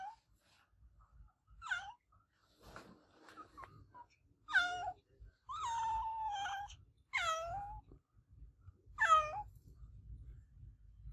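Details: Adopted pet cat named Olevia giving loud, repeated meows inside a small room, about six harmonic calls spaced one to two seconds apart, some short and falling, others longer and wavering, with quiet gaps between.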